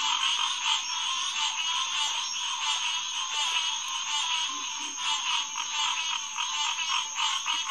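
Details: Night chorus of Hyla cinerea, green tree frogs, at SMNWR Headquarters Pond, 2 June 2021 around 9:10 pm; dense, pulsing overlapping calls swell and ease slightly, with one faint low grunt midway.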